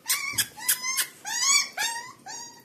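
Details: Golden Retriever, a young puppy shown being stubborn and demanding with its mother, indoors; a series of short rising whimpers and yelps, about five bursts over under three seconds, growing louder then fading.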